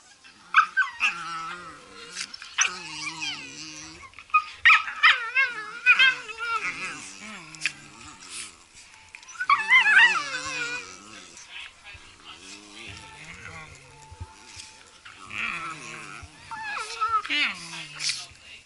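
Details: Blue Heelers at play indoors: wavering, yodel-like whines and howls with stacked harmonics, rising and falling in bursts, repeated through the stretch, mixed with a person talking and some faint background music.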